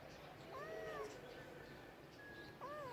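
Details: Domestic cat meowing: two drawn-out, arching meows, the first rising then falling over half a second, a second one starting at the end, over a low background hum.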